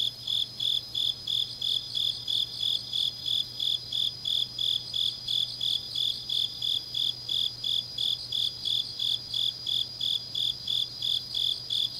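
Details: Grass insects singing on a deep autumn night at Changnyeong, Gyeongnam, Korea: regular high-pitched pulses near three per second, layered over a constant ringing trill, a low steady hum in the background.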